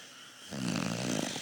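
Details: A dog snoring: after a half-second of quiet, one long, rough, buzzy snore rises with a low rumbling tone and breathy hiss above it.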